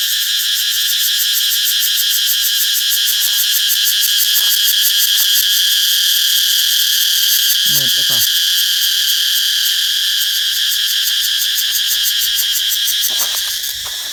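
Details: Loud massed cicada chorus in another zone of a Thai forest garden as trees sprout new leaves; an unbroken, shrill, pulsing drone holds throughout, with a brief faint voice near the middle and the chorus easing slightly at the end.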